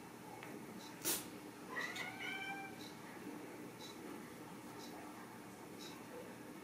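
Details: Ragdoll kitten at a home cattery in central Kansas, raised without cages, gives a single faint, drawn-out meow with a slight rise and fall. A sharp click comes just before it, over a steady low hiss in a quiet room.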